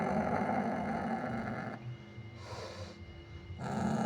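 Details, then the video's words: Kucing hutan, the Sumatran leopard cat, produces a harsh low growl for nearly two seconds, falls to a quieter pause with a soft breathy hiss, then growls loudly again. "suara kucing hutan (kucing kuwuk) Prionailurus bengalensis sumatranus"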